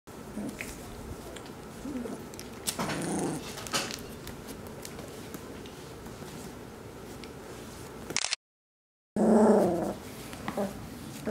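Golden Retriever puppies whimper and yip in short, soft bursts, with some low grumbling.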